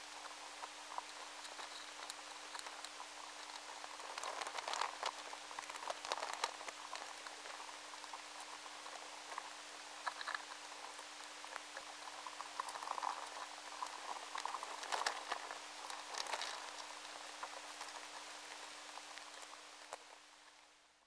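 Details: An Indian meal moth caterpillar weaving its silk in stored foodstuffs, faint, irregular crackling and ticking over a steady low hum, in a high-sensitivity recording.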